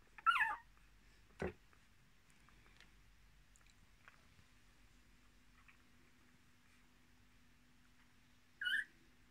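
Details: Miniature Australian Shepherd puppies from a litter of six born 10 March 2020, with their mother: two short high squealing whimpers, one at the start and one near the end, separated by a single sharp knock and long quiet stretches.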